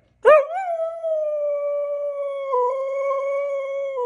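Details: Female Siberian Husky, a talking pet, howls while being taught to dance: one sustained tonal howl about four seconds long, starting with a sharp rise, holding a steady mid pitch with a slight dip partway, then trailing off.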